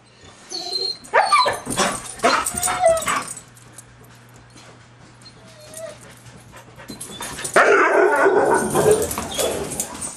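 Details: White huskies excited after spotting a deer in the front yard, running around the house: bursts of high whines and yelps in the first seconds, a quiet stretch, then scrabbling and clattering movement with broad noisy sounds indoors.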